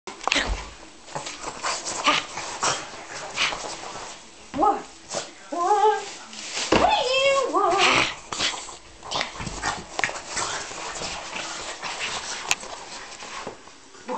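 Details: French Bulldog worbling during play attacks on a bed: warbling, wavering vocal bursts in the middle of the recording, mixed with loud rustling bedding, scuffling and human voices.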